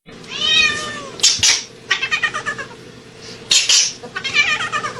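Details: A cat screaming loudly indoors: a long falling yowl, then harsh broken cries and rapid pulsed meows, with loud clattering bangs between the calls and a steady low hum underneath.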